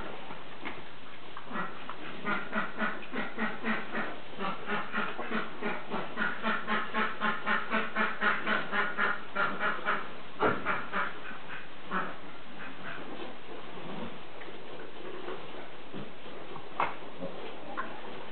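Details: Three-week-old piglets from a sow's second litter at play, a rapid run of rhythmic grunts, several per second, building and then fading into scattered snorts.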